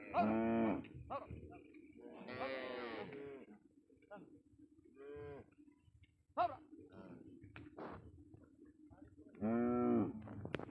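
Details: Cow on a Padma river char, smuggled across the Indian border: three drawn-out, throaty moos spaced several seconds apart, with scattered clicks and knocks and a steady low hum between calls.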